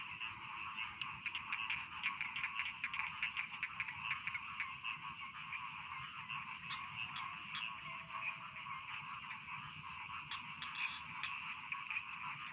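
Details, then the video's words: Dense rice field frog chorus, steady layered croaking trills with occasional sharper clicking calls cutting through, continuing evenly throughout. "Bedtime Frog Sound || Suara Katak Sawah Pengantar Tidur"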